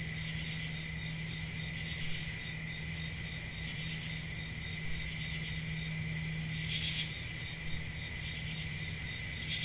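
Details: A continuous high, ringing cricket trill from a calm rural summer night, steady throughout with a lower buzzing layer, one short hissy burst near the end and a faint low hum.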